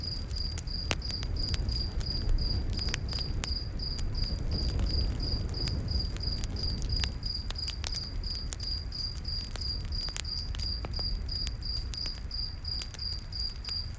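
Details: Crickets calling at night in a forest by a campfire: a regular train of high, thin chirps persists beneath loud snapping crackles and a heavy low roar of burning wood.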